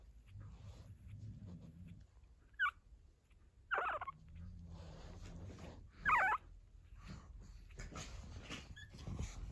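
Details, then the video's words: Pug puppies, 14 days old and just starting to walk, making small low noises: a few brief whimpering squeaks spaced a second or two apart over a low indoor rumble. "puppies pug dog 14 day old,started walking and making low noises"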